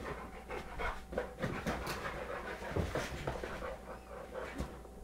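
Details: Indoor sofa wrestling between American Bulldog Bulka, aged 3.5, and Beagle Maxwell, 11 months old; dense breathy panting and snorting bursts in quick succession, low hum throughout.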